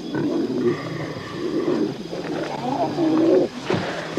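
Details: Lions in the African night as a charge on a wildebeest herd looms and younger lions listen for the outcome; rough, low, grunting roars rise and fall beneath background music and narration.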